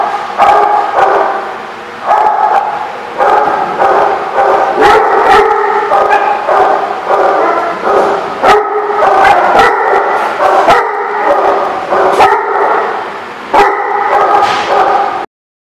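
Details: A group of dogs at The Barking Lot, 17 June 2016, keeps up a steady chorus of high-pitched, overlapping yips and barks with sharp individual bark onsets and a few brief lulls.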